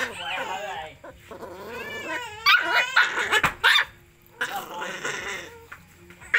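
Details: Puppies at feeding time give a series of high, wavering whines and squeals that rise and fall, broken by short bursts of human voices and clatter.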